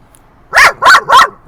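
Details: Dog barking at other dogs at a San Diego dog park at sunset: three loud, bright barks in quick succession, about a third of a second apart, over a faint steady hum.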